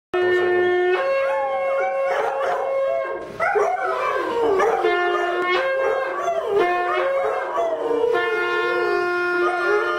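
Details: Twin Airedale Terriers howl in wavering, rising and falling tones along with a loud, steady horn being sounded.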